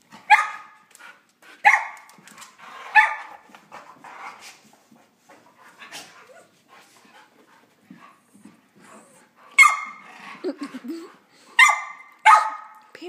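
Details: Husky pup, a Husky, Chihuahua and Lab mix, wrestling in play: short, bright barks in clusters, three spaced about 1.3 seconds apart, then after a quiet stretch of faint scuffling and soft whines three more sharp barks near the end.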